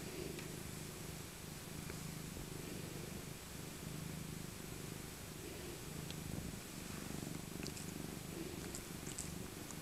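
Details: Old tabby cat Maca, a rescued female born in 2000, purring contentedly while cuddled in her thick winter coat; even, low rumbling purr with soft rustles and a few tiny clicks late on.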